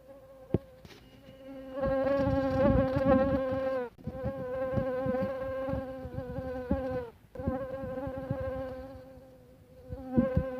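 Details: Mosquito buzzing: a steady whining hum with many stacked harmonics, wavering slightly in pitch, broken by brief gaps near four and seven seconds, with faint taps and clicks underneath.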